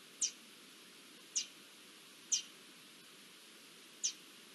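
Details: Alarm squeaks of garden dormice reacting to an Iberian lynx's approach, 20 June 2024: four thin, high, clipped notes, irregularly spaced about one to two seconds apart, with low steady background hiss.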